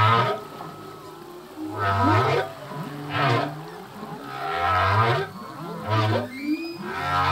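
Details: Humpback whale song from a male, whose songs change each year with new phrases: a repeated series of low grunting moans with upswept ends, alternating with brief higher groans and faint squeaks.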